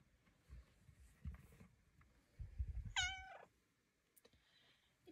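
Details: A single falling meow from Luna, a pet cat coaxed to flop down for belly rubs, follows low thumps and rustling.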